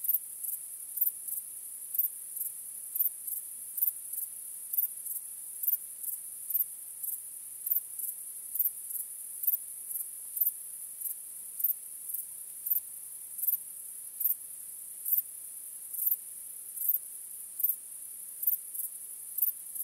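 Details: Night chorus of crickets under a starry sky, a continuous high-pitched ringing drone punctuated by regular sharp chirps roughly every half second, with no other clear sounds.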